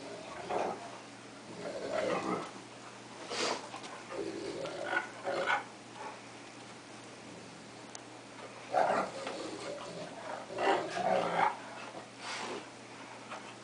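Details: Two pet dogs playing indoors, a cocker spaniel and a wolf-Akita mix, the spaniel attacking the larger dog; bursts of rough growling and snarling come in uneven clusters separated by quieter gaps.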